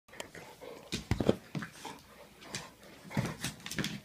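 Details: Two pet dogs, a Pitbull and a Jack Russell Terrier, fighting indoors; bursts of rough growling and snarling with scuffling thumps, in uneven clusters.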